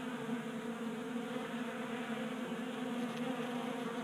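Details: Honey bees feeding at a 3D printed tabletop feeder in a garage in Colorado during a warm January spell; a dense, steady buzzing drone with layered humming tones and no pauses.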